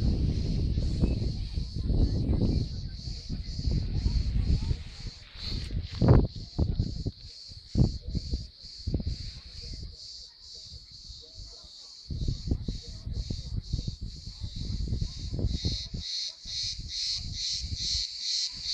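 A cricket chirps steadily in a high, pulsing trill over low rumbling and rustling.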